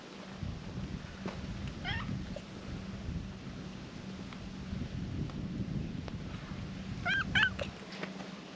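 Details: Brown tabby stray cat sitting on shrine stairs in Japan gives two short meows, a falling one near two seconds and a brighter pair near seven seconds, over steady low hum and outdoor background.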